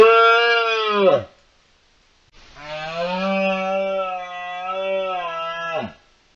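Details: A red deer stag in Spain's lynx territory during the autumn rut (berrea), recorded 4 October 2023, gives two deep, drawn-out bellowing roars, the second long and steady before trailing off.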